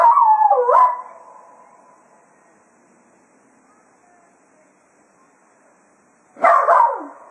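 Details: Closing a day of foxhunting at Quail Roost, Jack Russell Terrier Cato farewells the hounds: a quavering, dipping yowl at the start, a long quiet stretch, then another loud, wobbling howl-bark at the end.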